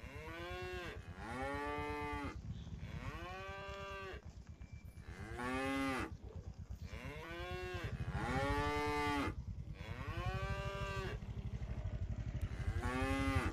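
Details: Tame cattle herded back to the pen together, several animals lowing in turn with strong, bowed harmonic moos, some longer and rising, over a low rumbling background.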